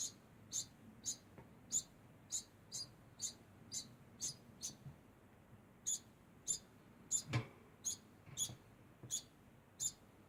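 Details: A degu calls constantly, giving a long run of thin, high chirps roughly every half second, with a short pause midway and a soft knock or thump among them.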